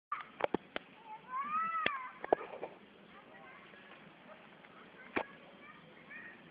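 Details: Cat at play giving a single drawn-out meow that rises and falls, amid sharp clicking knocks and a person speaking quietly.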